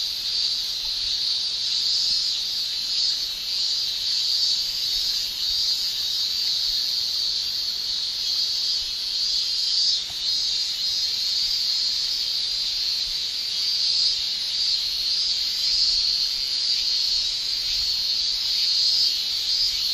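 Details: Male cicadas singing with their tymbals on a Japanese summer day, an unbroken, sizzling high-pitched drone holding steady throughout, with faint shimmering surges and one brief dip midway.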